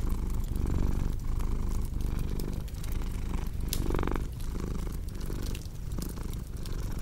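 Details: Deep rumbling purr from a cat, pulsing about once a second, with a brief louder breath near the middle, accompanied by the crisp crackle and snap of a fireplace.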